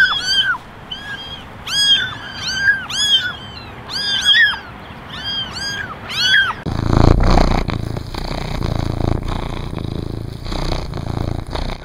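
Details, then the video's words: Eleven kittens in a basket, ten ginger and one white, meow for attention; overlapping high arched mews fill the first six seconds, then give way to broadband rustling and handling noise. "Basket of 11 Meowing Kittens"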